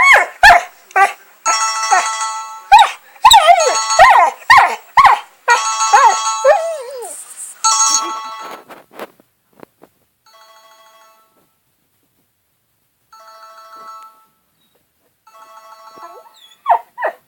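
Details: Boxer puppy crying at a ringing cell phone, with a string of high whining, wavering cries in rapid bursts over the first nine seconds, then quieter steady electronic ringtone tones and a few final yelps.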